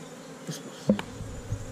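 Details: Honey bees at a hive inside a hole in a tree trunk during a honey harvest, filmed on a GoPro Hero5 Black: a low steady buzz in brief spells with a few sharp knocks and clicks.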